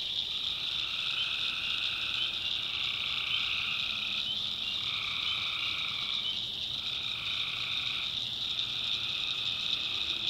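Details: Many tree frogs calling together after dark in a swamp in the North Carolina backwoods, continuous high ringing trills layered in bands, individual voices shifting in and out roughly every two seconds over quiet background.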